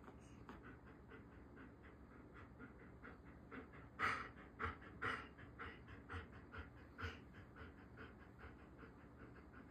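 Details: Dog named Zeus, tired and fighting sleep, washing his stuffed wolf toy: steady rhythmic breathy panting, about one breath per second, with a few louder huffs midway over a constant low background hum.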